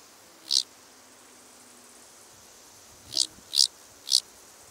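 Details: Large banded grasshopper at Fließer Sonnenhänge, Austria, on 16 August 2018, making short, dry rasping bursts: one alone, then three in quick succession about half a second apart.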